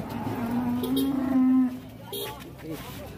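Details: Runaway cow that charged into a small shop lets out one sustained, even moo lasting about a second, then thumps and voices as the commotion continues.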